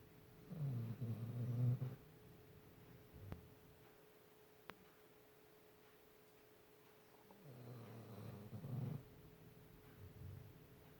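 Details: Pet dog sleeping soundly and snoring: a low, grumbling snore, a long pause, then a second drawn-out rumbling snore followed by a brief, softer snort near the end.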